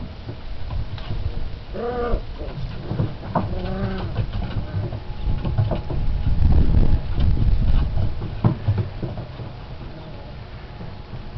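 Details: Four-and-a-half-week-old Alaskan Malamute puppies from Indian Creek Malamutes give short bursts of harmonic, wavering whines and yelps around two and four seconds, then fade under low rumbling handling noise and thumps.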